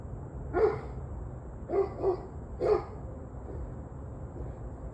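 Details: Evening dog barking, 21 November 2023 at 7:06 pm: three muffled barks, the middle one doubled, set against constant low background noise and a faint high tone.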